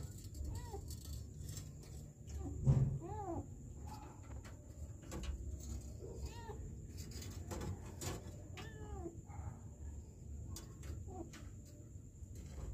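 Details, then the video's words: Kitten trapped in a sewer in Kenya, December 2023, calling out in faint, thin meows, each a short arched cry that rises then falls, repeated irregularly a dozen times over a low rumbling background with scattered knocks and clatter. "KITTEN trapped in the sewer"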